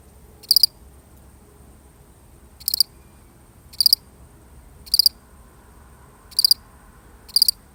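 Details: A lonely single cricket in a genuine recording sounds six high, trilled chirps at uneven spacing, some gaps near two seconds, others about one; background otherwise quiet.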